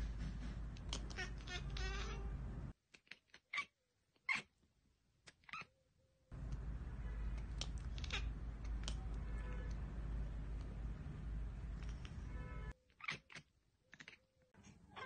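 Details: Domestic cat chattering after spotting a bird or insect it cannot reach: quick staccato clicks and short harmonic chirps in bursts, broken by silent gaps, over a heavy low rumble of background noise.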